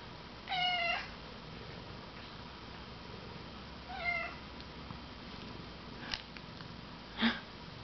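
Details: Domestic cat indoors, one of two kitties present, gives two drawn-out harmonic meows, the first near the start and a shorter, softer one about three seconds later, followed by a few sharp clicks and knocks in a quiet room.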